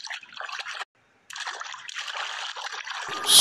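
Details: Trickling, splashing water with a brief silent gap and a loud burst at the end; no animal voice is heard.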